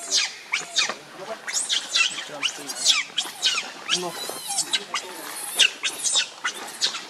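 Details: A furious monkey named Rainbow defends Lucie against Kachoy, letting out a run of sharp, high, scratchy screeches. The screeches come in short bursts roughly every half second to second, with brief low grunts between them.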